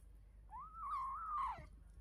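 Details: Kitten making a cute sound while eating: a single drawn-out mew, about one second long, that rises and then holds steady before sliding downward at the end. Quiet indoor background.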